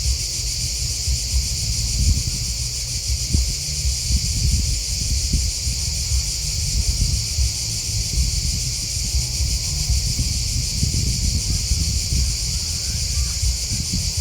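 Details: Crickets keep up a constant high, buzzy pulsing chorus, accompanied by heavy low rumbling that rises and falls like wind.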